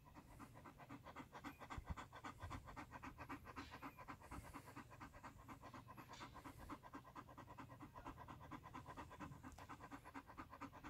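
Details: {'text': 'German Shepherd named Major panting at home at dinner time on a hot day, before an evening walk; fast, steady breathy pants about four per second, with a person talking nearby.'}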